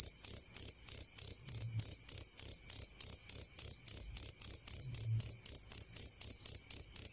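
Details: Clear cricket sound intended as sleep aid and songbird tutoring: continuous shrill high-pitched chirps beating quickly and evenly, roughly four pulses each second, with soft low thuds twice in the background.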